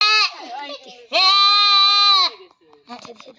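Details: Goat on a farm during artificial insemination: a loud, steady, nasal bleat of about one second follows a shorter cry, with people talking nearby.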